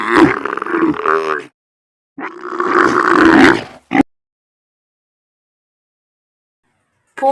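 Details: A camel's rough, bubbling roar in two long bursts, roughly a second and a half each, followed by a short grunt, then silence.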